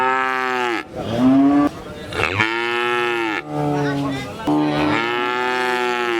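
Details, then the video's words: Several cows mooing in overlapping, drawn-out harmonic calls, one voice after another with hardly a pause; a higher, wavering moo near the middle stands out among deeper lows. "6 Cow Mooing, Whose Voice Is Good। Cow Sound"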